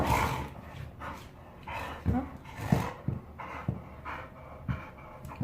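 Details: Jindo puppy, recovered in health after a food change, resisting a bath after a walk and rolling in riverside sand, making happy pig-like snorts: short breathy grunting bursts repeated irregularly, about every two to three seconds, in a quiet indoor room.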